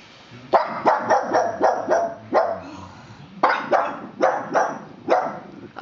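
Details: Pug barking at a plastic horse: a quick run of five sharp barks, a pause of about a second, then four more barks spaced further apart, all loud against a quiet room.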